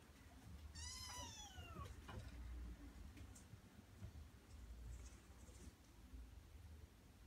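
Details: Male Norwegian Forest Cat meowing once: a clear, drawn-out call that slides downward for about a second, followed by quiet room noise and a few soft clicks.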